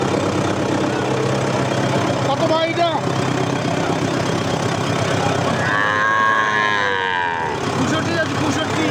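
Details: Gir and Sahiwal bull calves traded at Ambari haat, which runs on Fridays and Mondays; a brief cry comes first, then a loud sustained moo of nearly two seconds, over dense human chatter and vehicle hum.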